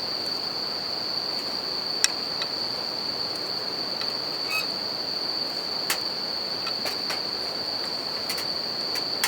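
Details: Bell crickets calling at night beside a campfire and a river in Japan: a steady, unbroken high ringing tone holds throughout, broken by sharp crackles and pops from the fire over a soft background rush.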